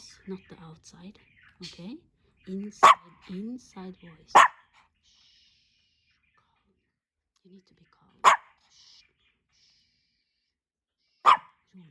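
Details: Pomeranian named Hendo, a two-year-old dog born 20 August 2021, on his birthday: four sharp, short, high barks spaced several seconds apart, with soft low voices or whimpering sounds between them early on and quiet stretches later.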